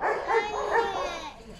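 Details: Golden Retriever named Zhuangzhuang, a pet dog in a rural home, fussing excitedly at its grandmother after days apart: high, harmonic whining cries rising and falling in two or three pulses, with a soft voice underneath.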